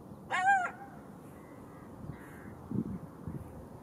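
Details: Golden jackal giving a short, wavering, rich harmonic howl note lasting under half a second. Faint low thumps and soft background noise follow in the quiet after the call.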